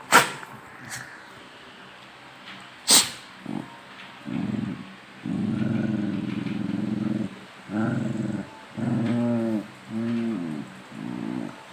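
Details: Pet dogs growling at each other in play, wrestling and teasing before chasing around; a couple of sharp clicks or thumps early, then long rumbling growls in bursts of one to two seconds with short gaps between them.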